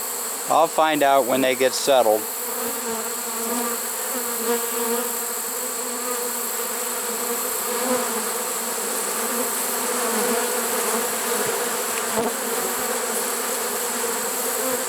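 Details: Honey bee swarm caught in a swarm trap late in the season, 1 September 2019: a steady, dense hum of many wings fills the clip after a brief burst of human speech at the start.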